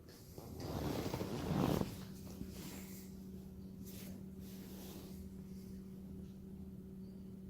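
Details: French Bulldog puppy Maddie playing with her toys indoors, making a loud rough snorting, grunting burst lasting about a second, followed by quieter breathing against a steady low electrical hum.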